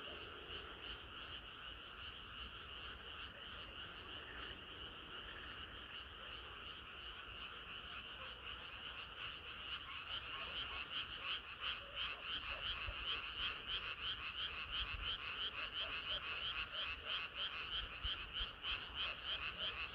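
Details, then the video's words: Summer-night frog chorus, many frogs calling together; a soft, even croaking wash that grows louder after the midpoint, with quick repeated pulses around three per second dominating the second half. "개구리들의 합창은 끝이 없어라"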